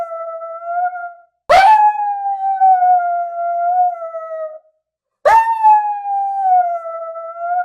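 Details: Puppy crying in long, steady, howl-like whines, each opening with a sharp broken onset then holding a level tone with stacked harmonics for about three seconds, repeated after short silences; nothing else audible.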